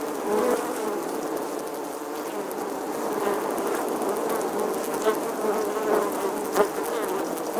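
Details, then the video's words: Summer bee buzzing as a continuous droning hum, fairly even in loudness, with a few short louder flicks late on, like passes near the microphone. "Bee Buzzing Sounds"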